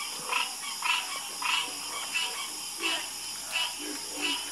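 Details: Frog croaking from a calming chorus, distinct bursts repeated roughly every half second to second, each a short raspy call, over a steady high-pitched hum.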